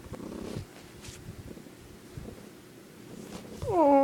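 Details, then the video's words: Domestic cat indoors in a bedroom making an unusual, weird purring sound, recorded on an iPod: rhythmic low rumbling pulses early on, quieter stretch, then a short rising-falling meow-like tone at the end. "Reno makes a weird purring sound"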